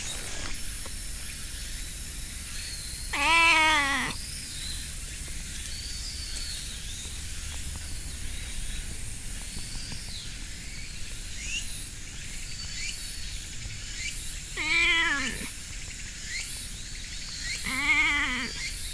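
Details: Stray cat encountered on a hiking course, calling oddly as it is petted; three short, separate meows spaced far apart across a quiet outdoor background with a constant high whine and faint rustling.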